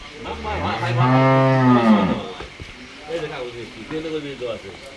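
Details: Heifers on a dairy farm: one loud, drawn-out harmonic moo lasting about a second and a half, followed by softer, lower lowing while people talk nearby.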